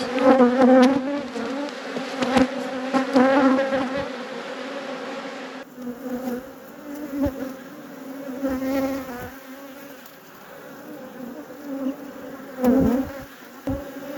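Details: Loud, steady droning hum of honey bees at a beekeeper's apiary. The buzz holds at a constant low pitch, swelling and fading in loudness, with a few sharp clicks and knocks from hive handling.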